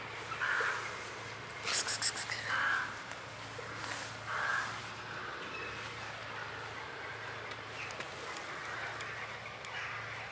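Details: Blue-eyed kitten found in a basement giving soft, short mewing cries near the same pitch, about five spaced a second or two apart, with a brief crackling burst between them and a steady low hum behind.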